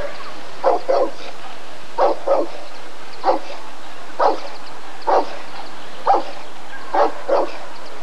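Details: Barking Rottweiler at the 1994 ADRK Körung breed survey: sharp barks, often in close pairs, about a dozen across eight seconds, spaced roughly one second apart over a constant hall-like background hum.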